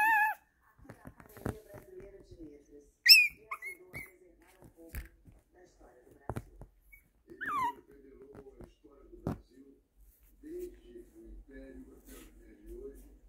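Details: Excited Shih Tzu celebrating, with sharp high whines that slide downward, each a second or less and scattered every few seconds between quiet human voices indoors.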